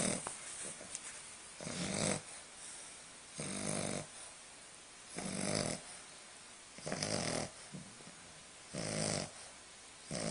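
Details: A baby English Bulldog snores in loud, raspy breaths repeated roughly every two seconds, waking a Chihuahua nearby.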